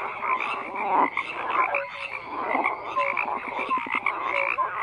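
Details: Many frogs croaking together in a dense, unbroken chorus of overlapping rasping pulses, with brief clear whistle-like notes rising above the mass of calls.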